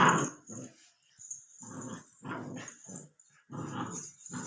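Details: A two-month-old Labrador Retriever puppy, 64 days old, growls indoors in a small room: low, gravelly pulsed rumbles in short bursts of about half a second, separated by brief silences.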